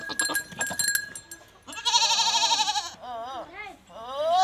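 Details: Goat mating scene from Punjab, Pakistan, with a Teddy goat: clicking and knocking first, then a strained, buzzy bleat, a short wavering one and a rising final bleat.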